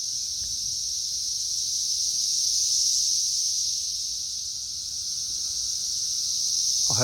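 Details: Periodical cicadas swarming a tree during the third week of their emergence in May 2024: a steady, high, hissing chorus with gentle rises and falls in loudness, and a brief low sound at the very end.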